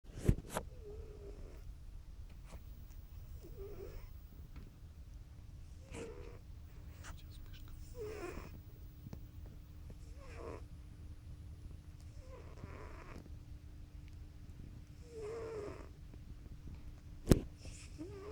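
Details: A pet cat fast asleep, twitching its paws, snoring in soft rasping breaths that repeat roughly every two to three seconds, with a faint steady hum and a couple of sharp clicks in the room.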